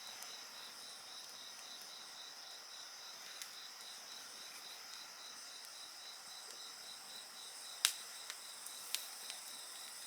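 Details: Insects singing beside a crackling bonfire: a steady, high-pitched layered trilling chorus runs throughout, with a few sharp fire pops and snaps, louder near the end.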